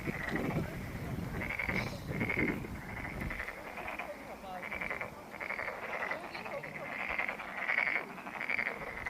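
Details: Pond frogs at Monet's Pond in Ulsan National Garden, South Korea, their buzzy pulsed croaks coming in regular bursts; for the first three seconds a low, voice-like murmur and rumble sit underneath, then the croaking continues clearly alone.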